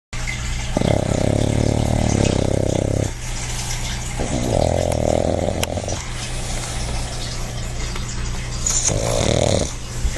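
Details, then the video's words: Quincy, a pet dog and big-time snorer, napping relaxed: three long, rough, low snoring breaths of about two seconds each, separated by quieter pauses, with a steady low hum throughout. "you think you snore?"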